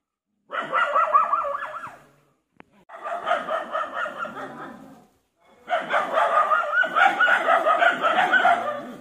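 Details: Indian pariah dog barking while guarding: three bursts of rapid, harsh barks run together, each lasting two to three seconds, separated by short silences.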